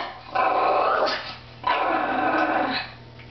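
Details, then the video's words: Chihuahua directing a growl at another dog beneath a table: two sustained, raspy, throaty growls, each over a second long, separated by a brief pause, with a faint background hum. "Growling Chihuahua"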